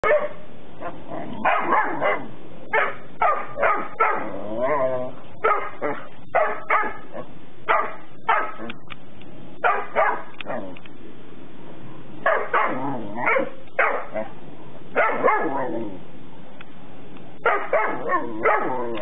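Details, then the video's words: Transylvanian Hound barking at a kennel, recorded 13 November 2019: loud, harsh barks, each short and repeated about once a second in uneven bursts, roughly twenty barks in all, with a few higher yips between them. "Erdélyi kopó"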